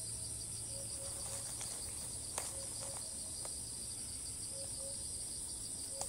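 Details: Cicada filmed in Thailand, refusing to stop calling even while relocating between trees. Constant piercing high drone fills the recording, broken by a few sharp knocks and faint low whistled notes.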